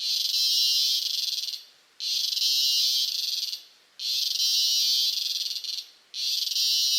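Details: A cicada recorded close up in Costa Rica gives loud, harsh buzzing bursts, each lasting over a second and repeated about every two seconds.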